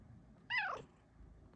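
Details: Indoors during a cuddle session, a female pet cat makes a single clear meow, bright and harmonic, starting high and sliding downward over about a third of a second, then a quiet room.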